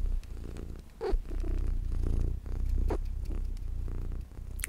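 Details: Luna, a small pet cat, purring steadily indoors: a deep, continuous rumbling low drone with soft rhythmic pulses, a few brief rustling sounds on top.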